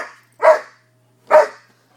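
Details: Newfoundland and Labrador cross puppies, brothers about five months old, barking during play: two loud, harsh single barks spaced roughly a second apart, with silence around them.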